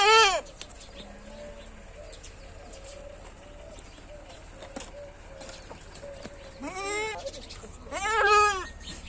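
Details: Goats kept for sale in Lucknow; three loud, wavering, nasal bleats, one at the start, one near seven seconds and one near eight and a half, over a quiet background with faint softer calls.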